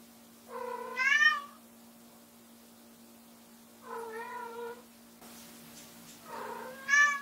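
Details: Indoors, white short-legged female Munchkin Lamu repeats insistent meows three times, every few seconds, each rising to a bright peak, as she keeps calling to bring her owner back; a low steady hum runs throughout.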